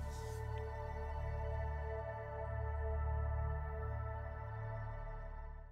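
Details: Soft ambient music of sustained layered tones over a deep low drone, swelling and fading, with no animal voice.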